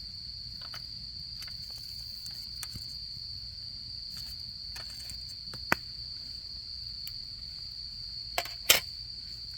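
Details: Continuous shrill insect trill at a single steady pitch on an autumn night, accompanied by a crackling campfire with scattered loud pops, the sharpest near the end, over faint low background noise.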